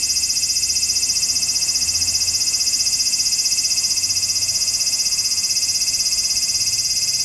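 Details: Large brown cicada on 3 September 2015, late in the season when fewer are calling: a loud, unbroken sizzling buzz that beats rapidly and evenly throughout, with nothing else prominent.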